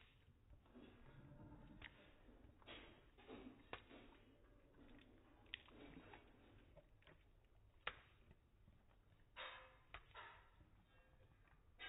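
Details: Tatum, a female Vizsla, eating peanut butter indoors in a small room: quiet, irregular wet smacking and licking clicks, with sharper snaps near four and eight seconds over a low room hum.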